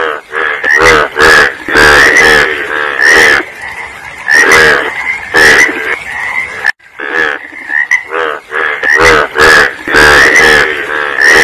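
A loud frog chorus fills the air with rough, grating croaks. The rasping calls overlap and repeat roughly once a second, with brief gaps between bursts.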